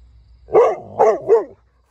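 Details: Dog talking to a cow: three loud, throaty barks in quick succession, each slightly falling, about a third of a second apart, in a quiet setting.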